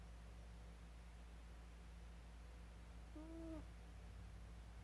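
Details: Rabbit snoring, a single short squeaky nasal tone with faint harmonic overtones, slightly wavering and lasting about half a second, over a steady low electrical hum in a quiet room.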